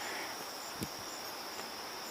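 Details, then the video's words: A cricket gives a thin, steady, high-pitched trill beside a lily-pad pond with drying pads, heard outdoors on a windy day with light handling noise; an American goldfinch may also be calling. "Maybe not. Well, I think that's a cricket I'm hearing."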